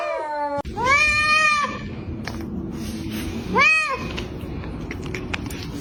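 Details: Domestic cat letting out two arched meows, a longer one and a short one a couple of seconds later, over steady background hiss and a faint high tone.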